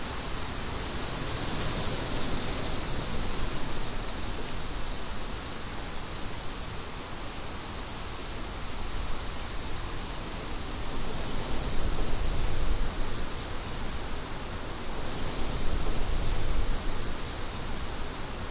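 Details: Crickets heard with wind: a continuous high-pitched pulsing trill runs throughout, beating roughly four times a second, while gusty low wind noise swells and fades beneath it.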